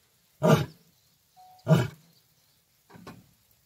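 A lion gives deep, rasping roars in three heavy bursts, each a little over a second apart.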